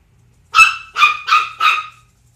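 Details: Four quick, high-pitched yaps in close succession come from the household pair of pitbull Zelda and ten-week-old Chihuahua puppy Sumac. Each bark is short and ringing. Nothing else is heard but a faint hum.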